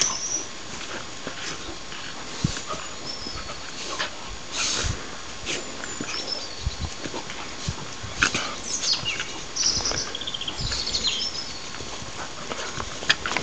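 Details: Two dogs at play, a little terrier named Conker and a big Vizsla named Zelda: irregular bursts of brief yips, huffs and scuffles, while wild birds twitter faintly throughout.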